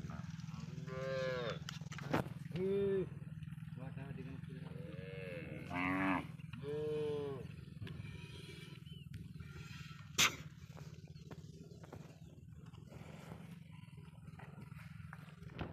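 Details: Cattle said to be smuggled across the Indian border, kept on a Padma river char; several drawn-out harmonic moos rise and fall, with a steady low hum, a sharp clatter and scattered voices.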